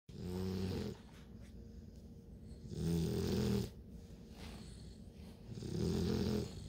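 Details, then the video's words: Bluetick Coonhound puppies, nine weeks old, sleeping: loud rumbling snores in three bursts about every three seconds, each a low buzzing rasp with pauses of quiet breathing between. "LOUD snoring!! Bluetick Coonhound puppies @ 9 weeks"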